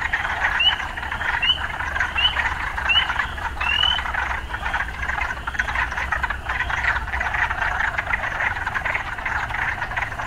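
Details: Urban frogs in a dense, steady chorus: a continuous trilling hum with short rising whistled notes repeating about every three-quarters of a second, then fading into the background din.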